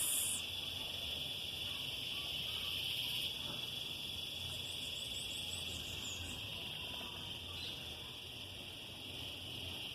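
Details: In a summer garden full of trees and plants, cicadas fill the air with a steady, shrill, high-pitched drone that barely wavers.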